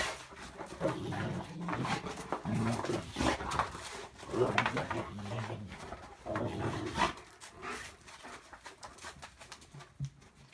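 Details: Alan, a Great Pyrenees, playing roughly indoors on returning home after a long absence, gives broken low growls and whining grumbles in short bursts, with scuffling, thuds and faint human voices, quieter toward the end.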